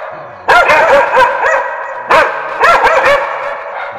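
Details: Dog barking for bark-reaction training. Two loud clusters of three to four harsh, ringing barks come about two seconds apart, with quieter tails between them.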